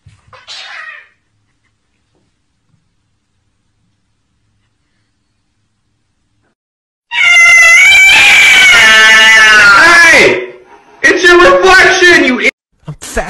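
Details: A house cat gives a loud, drawn-out, harsh yowl of about three seconds, wavering in pitch and distorted by its loudness, then after a short pause a second shorter yowl. A brief human voice is heard near the start.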